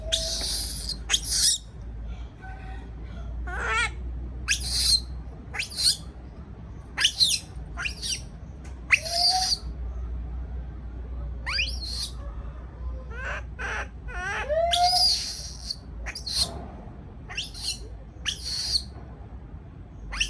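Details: Caged baby monkey crying out in fear at being left alone: a long run of sharp, piercing shrieks and rising-then-falling whining squeals, repeated every second or so with uneven pauses, over steady low room hum.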